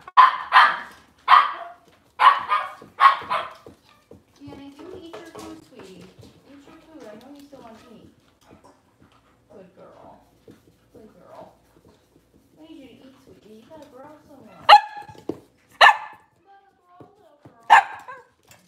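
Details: Cavalier King Charles Spaniel in a home kitchen during a puppy live stream on a cloudy Monday morning; sharp barks come in bursts, several early and three near the end, with soft human talking in between.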